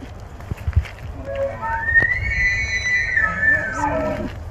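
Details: Wild bull elk standing in water with a large group of elk, bugling: a whistled note rising steeply, held high for over a second, then falling away into lower grunting tones, over a low rumble of background noise.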